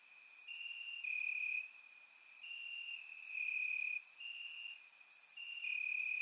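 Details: Crickets in grass at night, Bulgarian summer, surround-microphone recording: thin unbroken high trill that pulses louder and softer, swells lasting around half a second, overlapping callers, occasional brief crackling ticks higher up.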